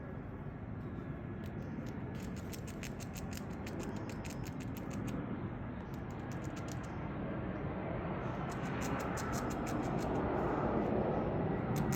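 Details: Rapid dry crunching and clicking, likely gnawing, over a steady rumbling background, with no animal call.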